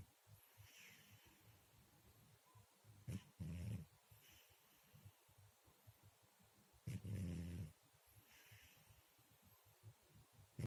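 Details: Sleeping house cat with two drawn-out, low, rasping snores about four seconds apart, each a little under a second long, with faint breathing in the hushed pauses between them.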